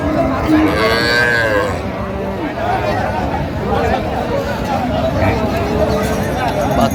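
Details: Cow with calf at Ranigonj haat cattle market, Dinajpur, on 20 October 2025, giving a drawn-out harmonic moo in the first seconds, then a shorter lowing, over steady crowd chatter and bargaining voices.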